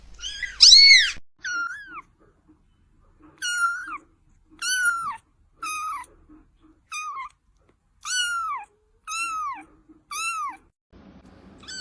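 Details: Kitten repeating short, high, downward-curving mews roughly once a second, about ten calls, in a quiet room.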